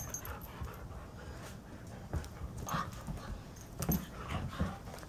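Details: Two dogs, Painter, a 7-year-old Alaskan Husky, and Blue, a 6-month-old Karelian bear dog, roughhousing indoors in the morning; soft grunts, huffs and panting mixed with scuffling thumps and brief higher whines.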